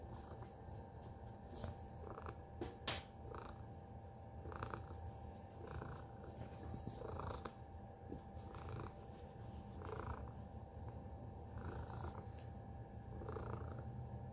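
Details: Tacy the cat purring: a continuous low rumbling purr with a soft pulsing rhythm, punctuated by scattered clicks and brief taps, over a faint steady electrical hum.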